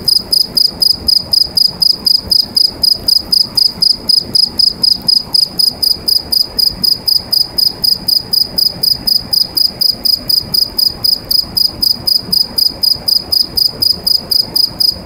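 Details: A cricket singing inside a pipe produces a steady stream of piercing, high-pitched chirps, about four a second, evenly spaced and echoing within the pipe.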